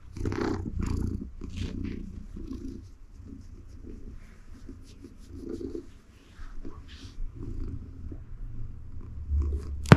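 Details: Domestic cat named Siberia purring contentedly while being gently petted, lying on her favorite donut-patterned mat indoors; steady low rumbling purr throughout with soft rustling and handling noises.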